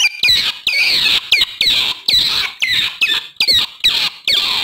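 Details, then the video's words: Otter voice used to attract wild otters: harsh, high squeals, each opening with a sharp sweep and trailing into a buzzy tail, repeated roughly twice a second in an uneven rhythm. "SUARA OTTER BERANG2 PALING AMPUH UNTUK MEMIKAT BERANG2 LIAR."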